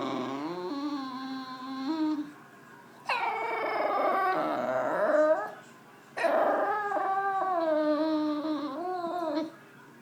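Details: Frustrated English Bulldog pouting on the couch, jealous of its owner's dinner, voicing long whiny howls: a steady moan, then two separate loud wavering cries of about three seconds each, starting high and sliding lower, with short quiet gaps between.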